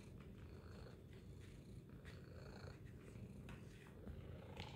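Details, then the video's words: Domestic cat named Tacy purring loudly, filmed as a feline observation: a steady low rumble fills the whole clip, pulsing in fast even beats with faint breathy rises and falls, and no other clear sounds. "Loud Purring Tacy Cat"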